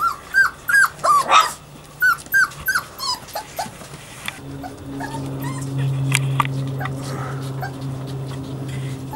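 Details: Savannah and Jericho at playtime: a quick string of high, bent yips and whimpers, about three a second, then a quieter stretch with a steady low hum and scattered clicks.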